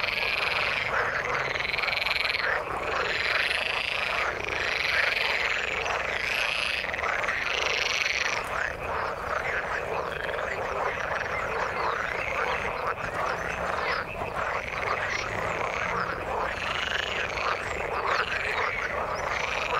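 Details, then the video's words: Many frogs in the water, croaking together in a thick, unbroken chorus of quick grating pulses, with brighter ringing trills standing out in the first eight seconds. "Frog sound in the water"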